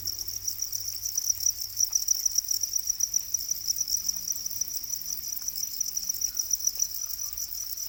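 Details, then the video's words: Domesticated black crickets, known as para crickets, giving a continuous high-pitched pulsing trill, dense and even in rhythm, with a slight rise in intensity midway and little other sound. "Para crickets, also known as black crickets, are domesticated crickets"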